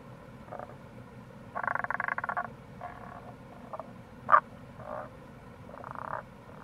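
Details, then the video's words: In April near a gorge in Itoshima, Fukuoka, wild Tago's brown frogs give drawn-out rattling pulsed calls about a second long, alternating with shorter croaks and one sharp loud note, over a low stream rush. "Wild Frog Call | タゴガエル"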